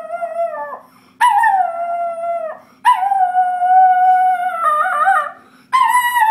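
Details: Singing schnauzer dog giving sustained howls, steady drawn-out notes that dip and waver at their ends, four phrases with brief silent gaps between them.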